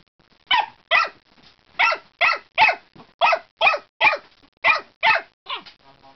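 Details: Dog barking repeatedly at the water bowl, sharp clipped barks roughly every half second, some with a rough growling edge, ending in a short whine.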